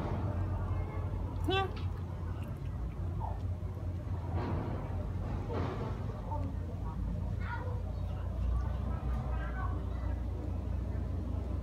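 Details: Kittens, three grey, one white and one black, living as family pets; one clear rising harmonic mew early on, then fainter scattered mews, all over a constant low engine-like rumble.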